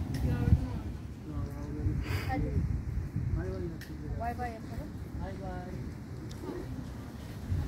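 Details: Street kittens quarrelling after being fed, one kitten screaming constantly: a run of short arched mewing cries, rising then falling, repeated about once a second over a steady low rumble and soft human speech.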